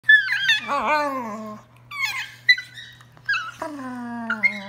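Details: Two pet dogs playing wildly indoors; high, wavering whining and squealing yelps that slide downward in pitch, coming in bursts with short pauses, ending as a person asks what they are doing.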